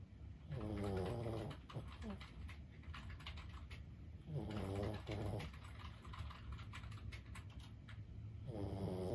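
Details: Senior Boston Terrier Lulu, aged 15, snores while sleeping: three rattling, throaty breaths, each about a second long and spaced several seconds apart, with light tapping and a low hum behind.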